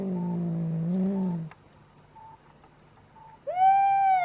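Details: Angry cat making horrible sounds: a low, wavering moan lasting over a second, a quiet pause with faint regular beeps, then an abrupt higher wail that rises and holds steady.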